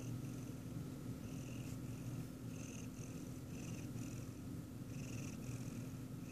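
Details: Siamese cat watching its owner eat ice cream, giving a steady low rumbling purr with soft pulsing higher bands roughly every half second and a faint constant electrical hum in the background.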